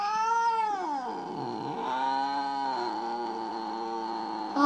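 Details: Mo, a domestic cat described as jealous and unwilling to forgive its owner over another kitty, keeps up a sustained wavering caterwaul, sliding down in pitch, then rising and undulating for several seconds before a sharp noise at the end.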